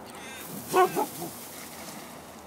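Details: Delta, a husky, gives a brief singing outburst: two quick, yodel-like whining notes with clear harmonics, the first louder and slightly longer, followed by a fainter trailing murmur over a quiet hiss.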